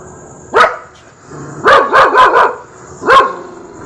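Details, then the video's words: Rottweiler giving loud, rough barks: one single bark, a fast run of four barks with a wavering tone, then one more single bark, against a faint constant high-pitched hum. "Rottweiler Dog sound effects"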